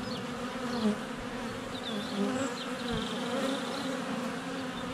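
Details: Steady drone of many honey bees flying at the hive entrance during sunny February weather, GoPro Hero 7 Black less than a foot away; continuous low buzzing with wavering pitches, plus faint high bird whistles and short trills overhead.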